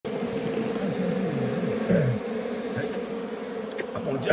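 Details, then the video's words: Honey bee buzzing: a steady, even drone holds unbroken for the whole stretch, with low human voices murmuring faintly underneath. "Honey Bee 🐝 || Kahà || vakhui kashai"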